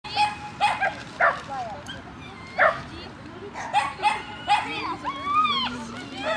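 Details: Shetland Sheepdog giving about eight sharp, harmonic barks at irregular intervals over six seconds, some in quick pairs, with a person's voice and a wavering, rising-falling voiced sound toward the end.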